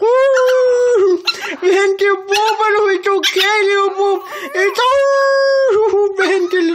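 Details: Pomeranian puppy howling indoors when its owner comes home: loud, sustained, tonal wails with rich harmonics that dip and waver, broken by brief pauses, while a woman speaks softly and affectionately to it.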